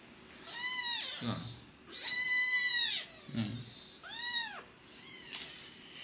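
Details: Fostered kitten siblings, a sister and brother taken in after an emergency rescue, mew during toilet training: four piercing, arched meows in a row, each rising then falling, with soft rustling between them.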